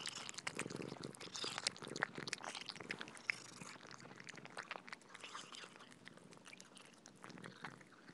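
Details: Pet cats feeding on soft food, heard up close as a dense run of sharp, moist clicks and smacks from licking and chewing. The sounds are rapid and irregular throughout, with a slight lull near the end.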